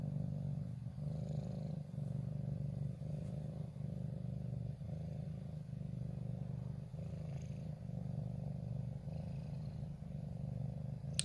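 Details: Low, sustained purr from a ginger cat occupying its favourite corner, 14 January 2023, shy of the person yet drawn to the camera; steady pulsing rumble for the whole stretch, a sharp click at the very end.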